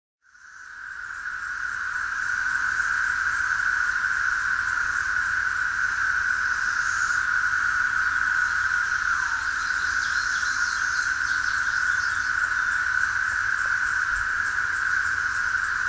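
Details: ['Brood XIX Magicicada tredecula periodical cicada calling from a tree near Osceola, Missouri, on June 5, 2011, in woods dominated by Magicicada neotredecim; a steady, unbroken droning buzz, with faint higher pulsing from other cicadas.']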